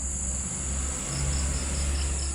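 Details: A large cricket-like insect, bigger than a cricket, gives a steady, high, shrill trill with faint pulses over a low hum at dusk in a village; it calls from evening into night, silent by day.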